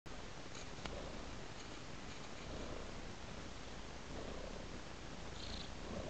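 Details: Domestic cat purring contentedly, a steady low rumbling throb filling the clip, with faint breathy hiss bands recurring every second or so in the upper range; quiet indoor setting with no other sounds.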